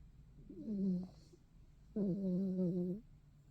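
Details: Dog snoring loudly in two drawn-out, voiced snores. Each is a droning low tone with a buzzy edge, and the second is longer at about a second, with quiet breathing between them.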